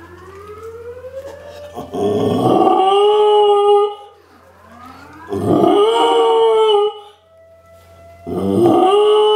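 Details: Young female Samoyed, nearly 11 months, howling with the nationally tested civil defense siren; three rising, wavering howls with strong harmonics, separated by quieter stretches where the siren drone is heard.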